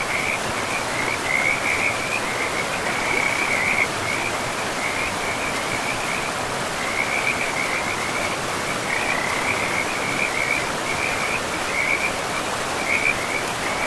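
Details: Frogs beside a river in a pristine, moss-covered forest, giving short, high trilled croaks in loose bursts through most of the stretch, over a steady, loud rush of flowing water.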